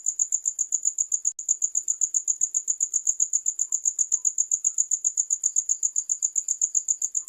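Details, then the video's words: Shrill, evenly pulsed cricket chirping at about four beats per second, continuous apart from one tiny dropout near the start, with nothing else prominent. "Sound of Crickets"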